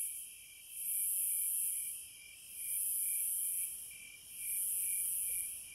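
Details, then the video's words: Cicadas in the wild: a loud, hissing buzz swells and fades in three long waves, each lasting about a second, over steady high insect trilling. "Sounds of the Wilderness & Nature ASMR Study Rest Relaxation Sleep White Noise No Music - Cicadas"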